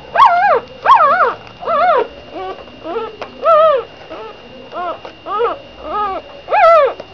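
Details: Shih Tzu puppies whining in short arched cries that rise and fall, about one every second with brief gaps, clear and close, over a thin continuous background tone.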